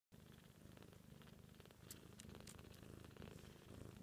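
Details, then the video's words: A mother cat purrs steadily to her 2-week-old kittens, a low rumbling vibration pulsing several times a second; the kittens purr too but are barely audible. "Mama cat purrs to her babies"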